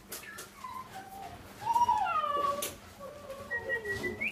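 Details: French Bulldog x Lhasa Apso cross puppies whine in thin, whistled tones that slide down and overlap, with a few rising squeaks near the end.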